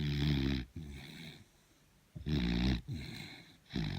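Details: Sleeping beagle, worn out, snoring loudly: rough, rumbling low snores close to the microphone, coming in bursts of under a second with short, near-silent pauses between breaths.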